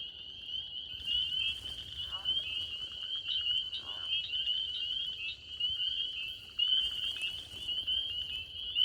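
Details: A dense night chorus of spring peepers in northern Georgia: countless high, piercing peeps overlapping into a steady shrill ring.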